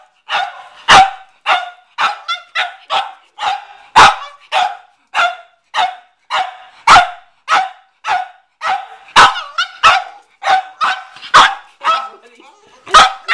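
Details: Cavalier King Charles Spaniel named McCartney barking at a watermelon in a garage; rapid, irregular run of sharp barks, roughly two per second, steady throughout with no other sounds.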